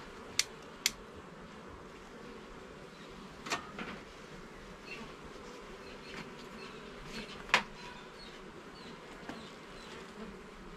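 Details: Buzzing of honey bees inside a garden hive during inspection of its frames, a soft steady hum punctuated by a few loud sharp clicks, two close together at the start and one near the end.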